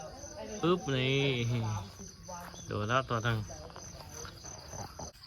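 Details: Pet cats fighting one another; two bursts of wavering, drawn-out yowls with a quivering, rising-and-falling pitch, separated by a short pause, with a man's brief speech and a constant high hiss behind.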